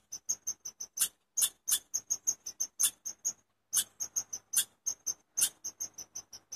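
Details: Rapid, regular high-pitched chips from a chipmunk, each note short and bright, broken by a brief pause near the middle before the chirping resumes.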